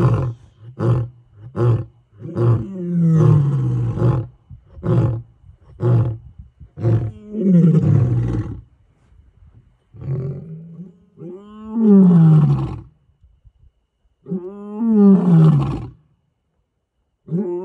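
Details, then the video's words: Night roaring challenge of male lions on the African savannah: a run of short, rapid grunting roars, then longer, falling moaning roars spaced several seconds apart, trailing off. "Gijima males roar into the night"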